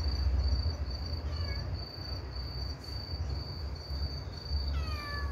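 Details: Stray kitten that lost its mother, crying to people through the night: two thin, falling meows with bright overtones, about three and a half seconds apart, over a steady high cricket trill and a low rumbling hum.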